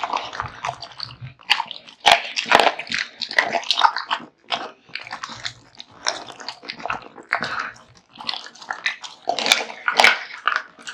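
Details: A male pet American Bully named Kotetsu gnaws through raw meat and bones, giving rapid, irregular cracking bites and moist smacking chews, about two a second, broken by brief lulls.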